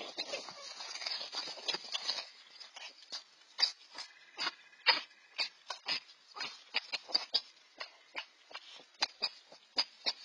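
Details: Two red fox siblings, 4-5 months old and newly independent, fighting over food; a series of sharp, short yelping squeals repeated irregularly, denser in the first two seconds then spaced clicks and yips.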